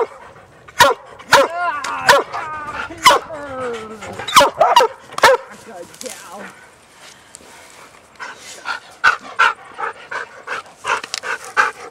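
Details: Huntaway dogs on a Sunday walk along a trail, three dogs out together, one named Sophie; sharp repeated barks with whining yelps in the first half, a person speaking between barks, then quieter scattered barking.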